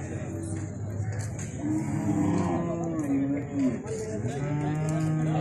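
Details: Cattle heard at a natural mating of cows, bulls and buffalo: low, droning moos that rise and waver over several seconds, against steady background hum and faint distant noise.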